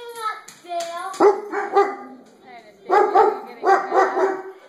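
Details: Dog indoors barking at its own reflection in the skylights; a string of short, harmonic barks in irregular bursts, mixed with a person's voice talking at the start.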